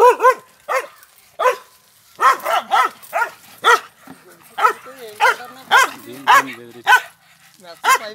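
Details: A male Pandikona, aggressive farm guard dog at a farmhouse, barks repeatedly, sharp harmonic barks about every half second, sometimes doubled, with faint whining tones between them.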